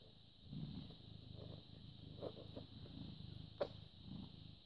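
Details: British Shorthair cat, born 18 August 2010 and recorded on the morning of 14 May 2017, purring softly: a low pulsing rumble rising and falling with breaths, broken by a few faint clicks and a steady background whine.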